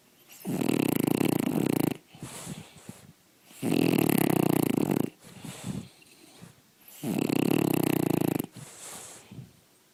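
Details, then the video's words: Daytime sleep of Puppa, a pet dog, snoring loudly; three long rattling inhaled snores roughly every four seconds, each about one and a half seconds, with quieter breathy exhales between them in a small room. "Puppa snoring"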